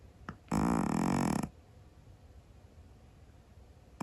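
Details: A sleeping Scottish Fold cat snores loudly indoors: one harsh, buzzy, rasping breath about a second long, followed by quiet room hiss.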